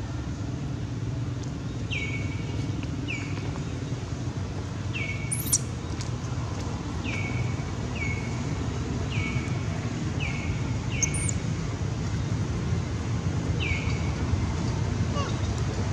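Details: Infant monkey Baron, kidnapped by monkey Bridget, calls its mother for help with high, thin cries that drop then hold steady, repeated every second or two through the stretch, against constant low rumbling background noise.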